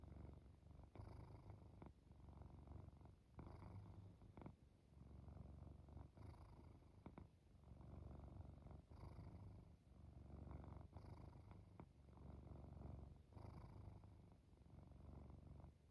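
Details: Domestic cat purring and snoring as it falls asleep: a continuous low rumbling purr in long pulsing phrases, broken by soft breathy pauses every second or two, with occasional faint clicks.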